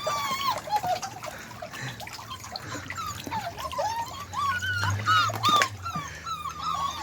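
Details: Beagle puppies learning to walk in water, giving repeated high thin whimpers and squeaky yelps that rise and fall, with faint splashing and low background noise.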